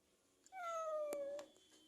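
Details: Persian cat visiting, one long meow that slides gently downward and lasts about a second, with a few faint clicks in a quiet room.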